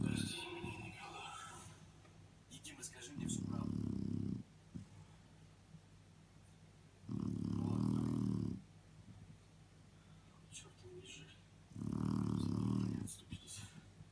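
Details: Sleeping female Shar Pei snoring heavily, three long, low, grating snores spaced about four seconds apart, with a few faint voices and rustling near the start.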